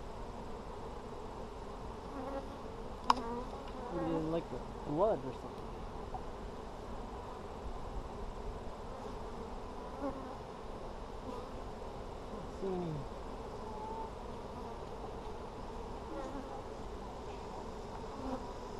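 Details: Low, continuous droning hum of honey bees at an Apimaye hive opened on July 23, 2020 to check for brood, with brief wavering buzzes of bees flying close and occasional small knocks.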